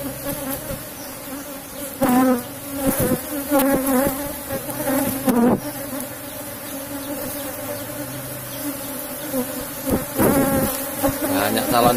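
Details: Asian honey bees droning steadily in a cultivated box hive during a honey harvest, the even hum broken by loud knocks, scrapes and handling noises from the beekeeper working the combs.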